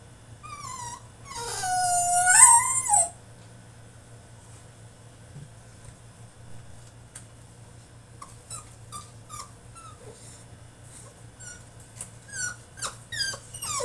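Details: French Bulldog in his cage during a tantrum: one loud wavering whine near the start, then a long stretch of quiet, short high whimpers and squeaks repeated quickly, over a faint hum.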